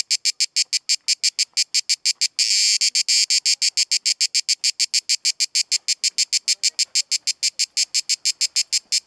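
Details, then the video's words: A cicada sings a harsh, high, rasping buzz broken into rapid, steady pulses, at Kaiser's Throne in Pelekas, Corfu, Greece. "Cicada sound in HD video in Corfu Greece"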